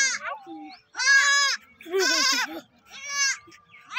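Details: Four young goat kids bleat in loud, wavering cries, calling one after another.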